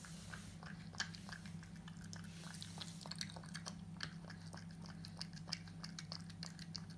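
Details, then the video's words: Eating French Bulldog puppy: dense, rapid crunching and biting clicks, sharper and more frequent than before, several louder snaps, all over a persistent low hum. "ASMR Frenchie Puppy Eating"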